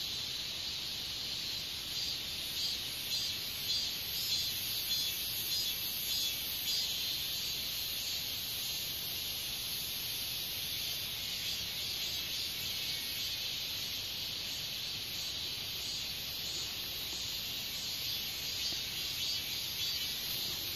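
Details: Katydid: a steady, high, hissing buzz runs without a break for the whole stretch, with faint pulsing in its upper part and no other clear sounds.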